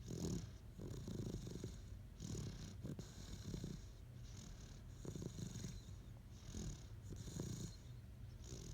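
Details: Great Dane asleep and snoring: deep, rattling low breaths rising and falling roughly every one to two seconds, with breathy airy hiss on each exhale and a steady quiet room background.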